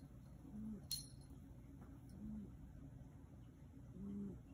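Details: Three quiet, short, level-pitched calls from Yoda, a black Maine Coon cat, spaced over four seconds, with a single sharp clink early on.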